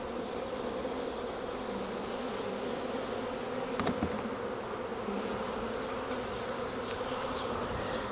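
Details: Honey bees of a wild swarm being caught off a tree branch and moved into a 5-frame nuc box give a dense, even, continuous drone with no breaks, one brief knock midway.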